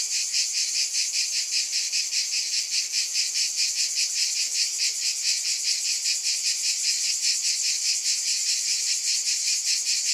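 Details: Continuous cicada chorus, shrill and buzzy, throbbing in an even rapid pulse of roughly two and a half beats per second throughout, steady in loudness, with nothing else audible.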